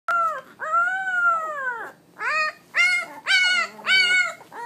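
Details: Pit Bull puppies, 17 days old, giving their first barks: high, arched, whining yelps in short bursts, five calls spaced about a second apart, some rising then falling, with a quiet background.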